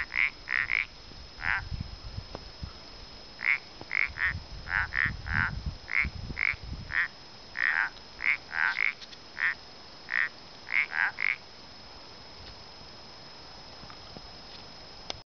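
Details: At Gotarta in El Pont de Suert, common parsley frogs produce short croaking notes in a lively series, some overlapping as if from more than one caller, then silence; low rumbling noise early on.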